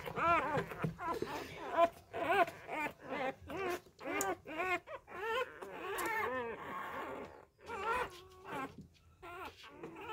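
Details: Newborn Labrador Retriever puppies, left by a first-time mother and hand-fed fresh milk, whine in a rapid series of short, arched, squealing cries that rise and fall, with brief gaps between bursts.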